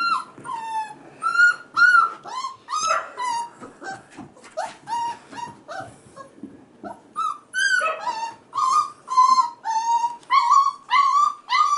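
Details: Five-and-a-half-week-old male F1b Goldendoodle puppies crying while female puppies run and play with kids nearby; a steady run of high, tonal whines, many rising then falling, repeat roughly twice a second with short gaps.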